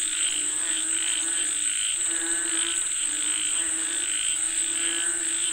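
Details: Chorus of frogs calling for rain, overlapping croaking pulses in mid pitch with a steady high insect-like drone throughout, dense and continuous.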